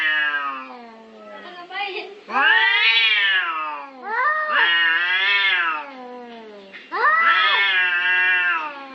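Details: Cats fighting over territory, giving drawn-out, wavering yowls that climb and sag in pitch, several long howls in a row with a low moaning undertone between them.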